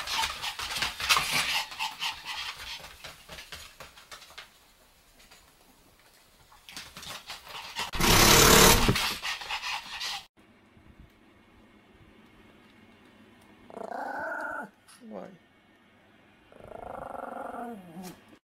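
Pomeranians at play, first heard as rough scuffling, panting and a loud burst of noise. Later come a few short, tonal, whining growls, each lasting about a second, typical of dogs wrestling in play.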